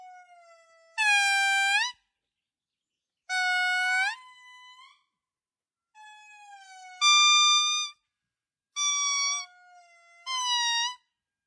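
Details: In Madagascar, an indri, the largest living lemur, gives loud, wailing, siren-like notes, each about a second long, some sliding up or down.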